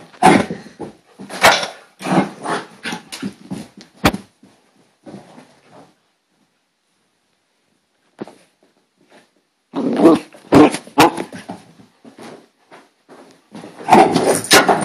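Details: Bailey, a female dog having a hyper moment indoors, growls and barks in rough, clustered bursts, then falls silent for several seconds before a renewed spell of noisy growling and barking with bumping movement.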